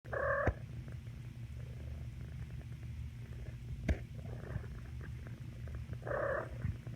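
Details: A fuzzy domestic cat makes bird-like noises, two short chirps about six seconds apart over a steady, low rumbling purr.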